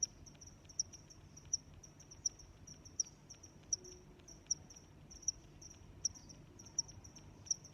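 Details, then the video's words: A cricket chirps at a regular pace, about 80 times a minute, its sharp high notes standing out above weaker chirps from others nearby and a soft low background murmur. "Sounds of Crickets"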